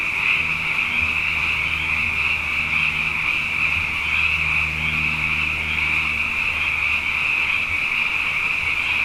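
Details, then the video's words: Many frogs calling together at night after two consecutive wet years, their high, continuous shimmering chorus filling every second, over a faint low droning hum. "Frog Songs: Na Mele o nā Paloka"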